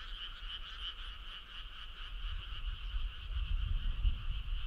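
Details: Frogs chorusing on a summer night on a starry country road, heard a little more distantly: continuous rippling croaks layered in two bands over a soft background hiss and low rumble.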